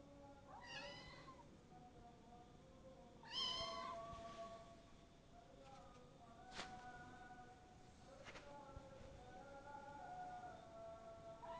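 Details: Adopted kitten ten days after adoption, indoors, giving a few scattered high harmonic meows, one louder and rising-falling near the middle, over a steady faint background hum with light household noise.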